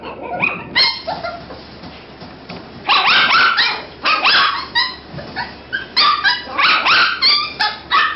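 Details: Toy Poodle puppies at a kennel, recorded on a Nikon D5000 camera: a few soft whines, then from about three seconds dense bursts of high, squeaky yips and whimpers, bending up and down in pitch, overlapping with brief pauses.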